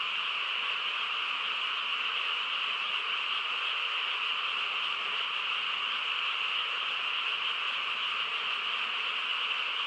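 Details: Countryside frogs calling together at night: a continuous, even chorus of overlapping rapid trills, with no gaps or other clear sounds.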